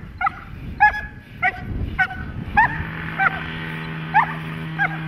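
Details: Protection-trained dog delivering a series of short, clipped barks roughly every half second, with a steady low droning hum in the background.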